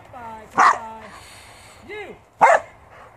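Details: Border Collie working on a farm barks twice, two loud abrupt woofs nearly two seconds apart, with a soft wavering tonal sound between them.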